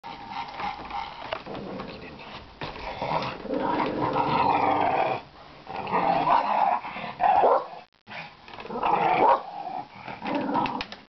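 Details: Pet dog playing at a laundry basket with a toy inside, pretending it cannot get the toy out; rough, rumbling growls in long bursts with brief pauses, steady sustained tone, a gap near eight seconds.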